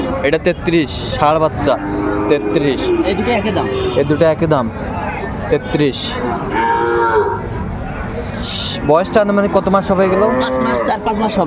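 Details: At a cattle market in Comilla, Bangladesh, on 6 January 2025, a chorus of bull calves moos in long, wavering, overlapping calls, mixed with clattering and people talking.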